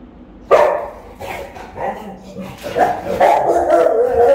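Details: Rottweiler guarding the house while the owner is away, filmed by a phone camera left running; one sharp bark, then a series of rougher barks and growly sounds building louder toward the end, indoors.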